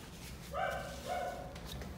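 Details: A neighbour's domestic dogs have just woken up and bark in the background of a garage painting studio: two separate mid-pitched harmonic barks about half a second apart, over a low steady hum.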